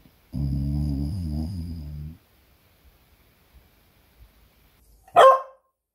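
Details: Pet beagle indoors giving a low, rumbling growl about two seconds long with wavering pitch, then near silence before a single sharp, higher-pitched bark near the end.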